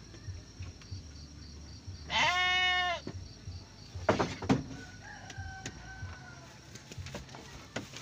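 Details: Garut sheep ewe in labour with triplets, one short, wavering bleat near the middle, surrounded by knocking and rustling sounds in a pen.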